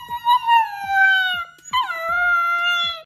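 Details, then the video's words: Samoyed puppy screaming: two long, high wailing cries, the first slowly falling then fading, the second starting with a sharp break and holding steady before dropping off, with faint background sounds between. "Baby Boo’s scream"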